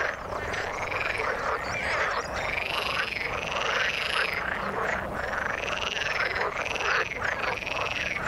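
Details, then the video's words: Chorus of frogs in the water, many callers overlapping in a steady din. Looping, bent tones and buzzy pulsed croaks repeat about once a second with no pause. "Frog sound in the water"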